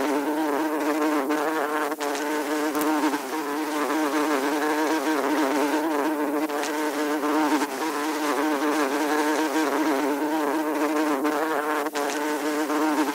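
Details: A fly buzzes without a break, giving a continuous droning hum with a slight warble in pitch and many layered overtones. Faint clicks are scattered throughout.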